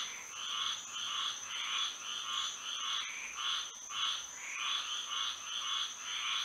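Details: Florida frogs calling on a moonlit night, pulsed croaking notes repeating roughly every half second with brief pauses, backed by a continuous shrill tone.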